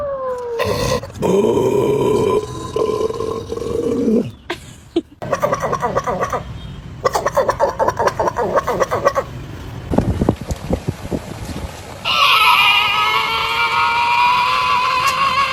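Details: Indoor pet dog vocalising at its owner: a sustained harmonic whine, then rapid pulsed grumbling sounds, ending in a long steady moaning howl. Rustling and handling noises are heard throughout.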